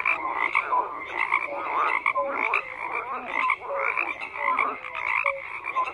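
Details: Croaking frogs in a crowded chorus, swelling rasping bursts roughly every second or so, with brief pure notes and low grunts poking through the steady din.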